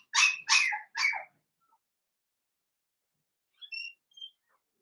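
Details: Blenheim Cavalier King Charles Spaniel puppies, a litter of five born on New Year's, in a puppy pen at home; three quick high yelping barks in a row, then soft faint squeaks near the end.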